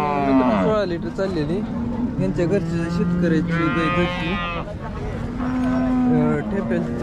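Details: Jersey cattle at the Sangola cattle market in Solapur, Maharashtra, India, on 15 October 2023: several drawn-out, harmonically rich moos rise and fall one after another, with a low crowd murmur underneath.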